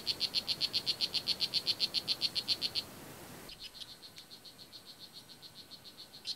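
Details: Oophaga pumilio, the blue jeans poison dart frog, at Kahka Creek Rainforest Preserve in Nicaragua, gives loud, evenly spaced high chirps about four per second, which abruptly drop to a fainter, more distant-sounding series.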